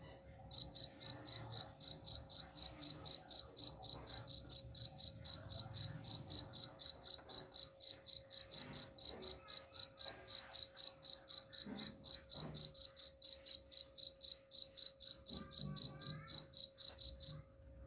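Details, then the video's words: Long run of cricket chirps intended to repel rats, high piercing pulses repeated evenly about four times a second for most of the recording, over a faint steady hum and occasional low rumbles. "suara jangkrik pengusir tikus ampuh"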